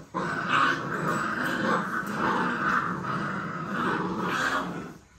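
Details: Puppies playing and play-fighting indoors, giving a steady, rough growl that runs almost unbroken for five seconds and swells in a few louder surges.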